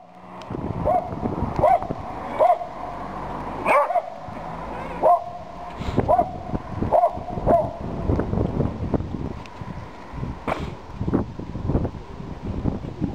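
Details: Dachshund puppy tied on a leash outside a shop in town, crying for its owner like a child: high plaintive whimpers repeated every second or so, with clattering, footsteps and street noise around.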